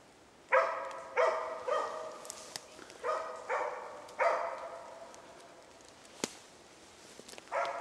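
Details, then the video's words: During a moose hunt, a hunting dog gives repeated, hoarse bay barks to hold a moose cow and calf in place, after two hours of baying, as darkness falls. "Älgjakt, zakko skällde ståndskall på ko och kalv."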